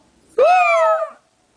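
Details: Pet dog singing along with its owner: a single clear howl, rising quickly, holding steady, then easing down before cutting off, in a quiet indoor room.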